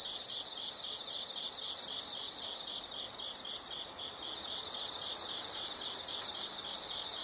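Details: Night-sounding insect chorus with rapid high chirps pulsing continuously, joined by two long shrill trilled bursts, one near the start and a longer one toward the end.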